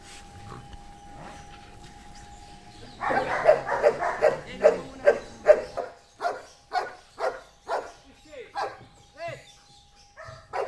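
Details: An 8-year-old trained Belgian Malinois named Amos, working on commands at BulaK-9: a rapid run of sharp barks roughly every half second, fading into softer, echoing barks, over a faint steady tone and some background voices.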